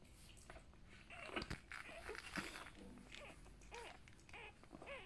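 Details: Newborn Golden Retriever puppies, part of a healthy litter of seven (three females, four males) born one evening to first-time mother Tala, give thin, high arching squeaks and whines, clustered near the end, over soft rustling and handling noises indoors.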